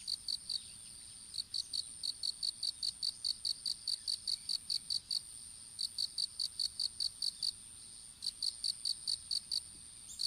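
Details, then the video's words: Insects calling in a strawberry field in Japan, recorded on a phone dropped while strawberry seedlings were being planted: high, pulsed chirps repeated about two to three times a second in bursts with short pauses, a steady faint hiss behind. "虫の鳴き声in いちご畑"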